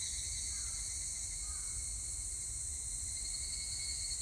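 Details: Higurashi cicada chorus from 25 July 2019, a continuous bright, ringing drone in stacked high tones with no pause, plus a faint low rumble of background noise underneath.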